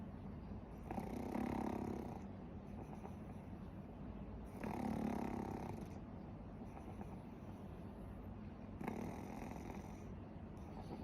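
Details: Sleeping pet pug Warabi gives three loud, rough snores spaced about four seconds apart, each a harsh, throaty rasp lasting a second or more.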